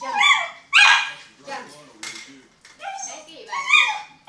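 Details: Pet Miniature Schnauzer scrapping with a birthday balloon, giving loud, bright barks with some bending downward in pitch, separated by a quieter gap with rustling, while a person comments that he can't reach it.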